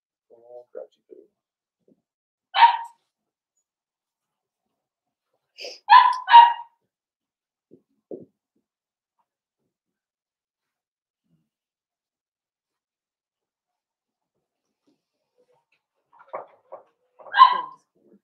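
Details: Blenheim Cavalier King Charles Spaniel puppies, a litter of five born at New Year, playing with their mother Paris in an indoor puppy pen; scattered short harmonic yips and squeaky whines in brief bursts separated by long quiet gaps.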